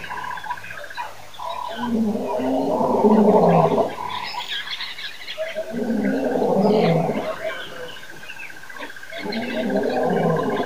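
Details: Lions at Nkorho Pan give deep, drawn-out roars in three long, moaning bursts a few seconds apart; recorded at 6:35 am, 26 September 2008.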